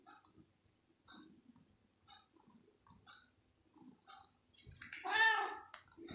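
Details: Hungry pet cat jumping for chicken pieces indoors: short faint mews repeated about once a second, ending in one louder drawn-out meow, with soft thumps and rustling between.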